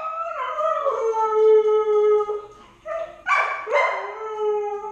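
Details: Lady, a Siberian Husky puppy of 10 months left home alone, gives a wavering howl that breaks off, then two more short, rough howls follow in quick succession.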